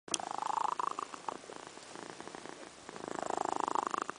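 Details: Domestic cat, female, snoring while asleep indoors: two long rasping snores, each a rapid buzzing pulse train rising slightly in pitch over about a second, separated by a quieter stretch of soft breathing.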